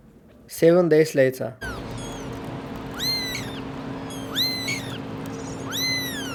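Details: Abandoned kitten, rescued after two days left freezing in snow at -11°C; a human voice speaks briefly, then three high, arching meows rise and fall, spaced about every one and a half seconds over a steady background hum.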